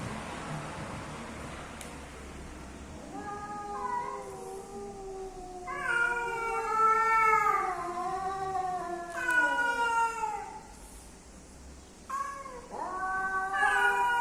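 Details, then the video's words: Cats, male and female, calling as they come together to mate: after a few quiet seconds, drawn-out moaning yowls start low and swell, several overlapping wails gliding downward, with a rising howl near the close. "The strange sounds of male and female cats when they come together."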